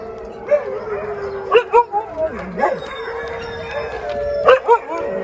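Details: Rescue Siberian Huskies, hungry before their evening dinner, mix a steady mid-pitched howl with short sharp yips and barks, and rising-falling whines that swoop down and back up. Several dogs call at once.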